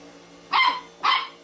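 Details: Dog giving two short, sharp barks about half a second apart, each a bright burst over a faint steady hum.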